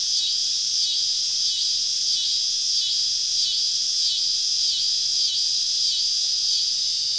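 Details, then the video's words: Summer evening cicada chorus deep in southern woods during a camping trip; a loud, high shrill buzz pulses in regular swells less than a second apart throughout. "Southern Evening Summer Cicada Symphony"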